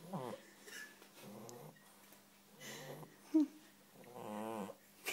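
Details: Bulldog snoring while asleep indoors: rough, growly snorts with wheezy harmonic tones, in bursts about every second or so, with quieter breathing between them.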